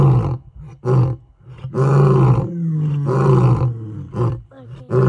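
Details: Male lions of the Gijima group roaring a challenge into the African savannah night: deep, rumbling moaning roars in repeated surges, long drawn-out bellows trailing into shorter grunts.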